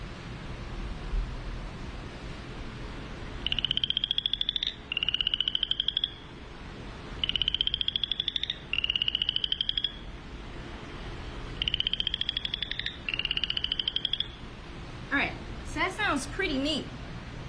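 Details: A small striped frog, about one and a half inches long, gives rising, rasping trills about a second long, repeated in pairs.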